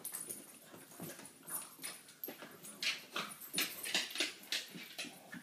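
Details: A French Bulldog gives quick, rough barks and grumbles to claim her territory, protecting her spot while playing with two other French bulldogs.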